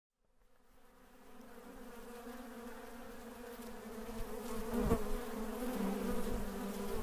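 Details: Honey bees at Mandore Garden, Jodhpur, Rajasthan, on 12 February 2017: a steady low droning hum with layered harmonic bands fades in from near silence and grows louder over seven seconds, with one brief sharp tap midway.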